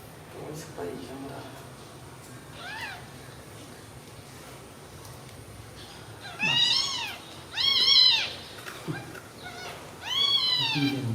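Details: Newborn baby kittens, described as sleeping well together after milk, give a few faint cries and then three loud, high arching meows, each rising and falling, with low human voices in the background.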